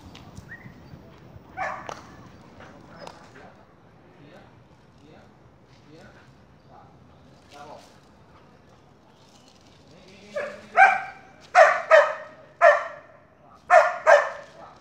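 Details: Luna, a Border Collie, during obedience training with commands such as passa, fica, deita and gira: quiet early on, then a run of loud sharp barks from about ten seconds, several in quick succession with short pauses.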